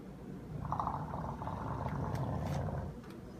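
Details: An English bulldog snores while sleeping as it guards the door, with a long, rough, rumbling breath that is low and fluttering.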